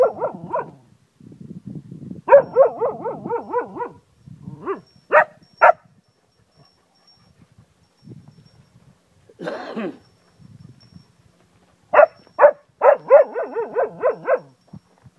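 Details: Zeeko, a Cocker Spaniel living with a family in Ajloun, Jordan, howls like a wolf: wavering, pulsing howls in bursts of about two seconds, mixed with short sharp barks, and one brief noisy burst near the middle.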